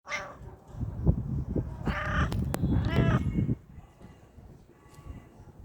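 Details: A pet cat meowing while asking for food, pawing for it; two or three loud, drawn-out nasal meows with rich harmonics in the middle seconds, followed by a woman speaking Turkish softly.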